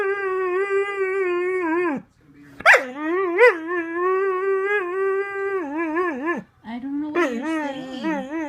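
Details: Pet dog upset that another dog wants to get on the bed, 'talking' in long, wavering, howl-like whines that rise and fall in pitch. Two long phrases are broken by brief sharp yelps, then a lower, drawn-out whine follows.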